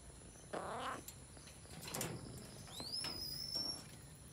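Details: Jungle cat (Felis chaus), recorded in a Sri Lankan national park, gives one brief harmonic mew, followed by softer low sounds and a thin, high, rising then level whistle from another creature, over a constant high hum.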